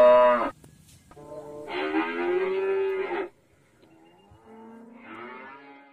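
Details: Cattle mooing in three deep, harmonic-rich calls: a short loud one, then a long sustained moo of about two seconds, then a softer, drawn-out moo with slightly wavering pitch.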